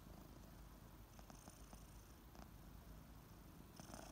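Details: Kittens Ariel and Bear purring as they wake in the morning; a close, steady low purr with faint licking clicks toward the end.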